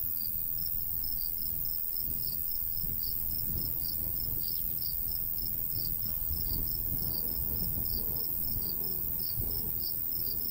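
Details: Crickets in summer countryside beside a golden wheat field, a light breeze blowing; high, thin chirps pulse in quick bursts over a steady low rumble of wind.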